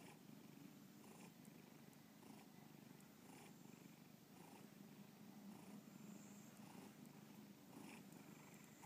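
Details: Pet cat named Bubba purring indoors, recorded as a movie exhibit for the 2013 art show BubbaPalooza in Lakewood, Ohio; a steady low rumbling purr with faint breathy swells about once a second.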